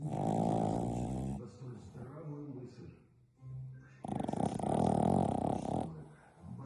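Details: French Bulldog sleeping after a long play session, snoring in two long, loud, rasping breaths, each lasting over a second, with a quieter gap of softer breathing between them.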